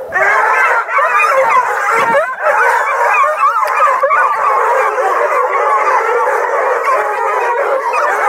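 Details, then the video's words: Kennel chorus of roughly two dozen hounds, Blueticks, Redbones, Black and Tans and beagle mixes, near Kingston, Ontario, Canada: continuous overlapping howls and bawls forming an unbroken wall of wavering voices. "TWO DOZEN SINGING HOUND DOGS: BLUETICKS, REDBONES, BLACK & TANS, BEAGLE MIXES"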